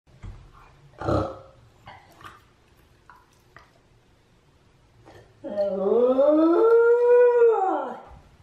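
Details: Chame, a clingy Shiba Inu left home alone while the other dog, Mame, is out on a walk, gives one long howl. It rises and then falls away after a quiet stretch that holds only a few faint clicks and knocks.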